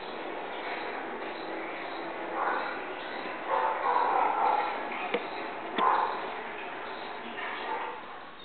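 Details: Chihuahua disturbed while watching TV, giving short grumbling barks and growly vocal bursts in bouts around the middle, with a sharp yip near the end, over a steady indoor background of television sound.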